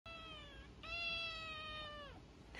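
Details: Tuxedo (hachiware) kitten, a pet, meowing indoors: a short meow, a brief pause, then a very long, steady, tonal meow of about a second and a half that drops at the end; faint low room hum underneath.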